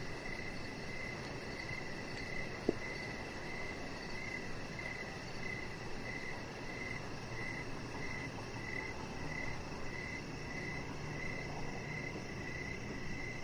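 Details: Evening crickets heard from a deck where a chihuahua puppy lies: regular short chirps roughly every second over a constant broadband hiss, with one sharp click partway through.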